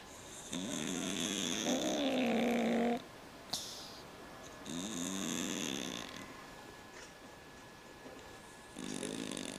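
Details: Domestic cat asleep and snoring like a man, heavy grating inhalations in long bursts of about two seconds, separated by softer breathing and a brief click.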